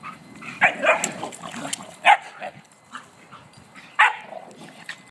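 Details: Three dogs at play beside a new fence, one of them five months old: short, loud barks in a quick pair, then single barks spaced about two seconds apart, over faint background rustle.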